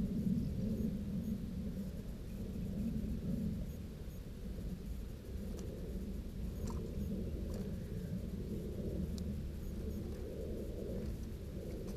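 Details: Only a steady low rumble, like wind buffeting or distant thunder, is heard throughout, with no bird song or other animal voice.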